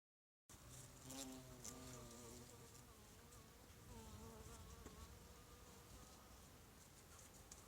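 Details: European carpenter bee (Xylocopa violacea) collecting pollen on runner bean flowers, a steady low droning buzz with harmonic bands that wavers slightly in pitch as the bee moves, over faint background rustle and clicks.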